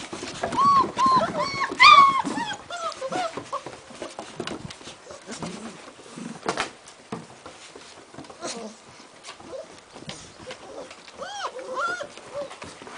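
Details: Long-coat German Shepherd puppies, 33 days old, whimpering and whining in high, arching notes, thickest in the first three seconds, then scattered squeaks, soft indoor shuffling and some human speech.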